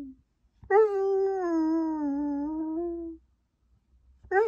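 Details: Male Samoyed, briefly left alone in a hotel room, lets out one long, steady, slightly falling howl of about two and a half seconds, rich and tonal, after a short whimper, then begins another at the end.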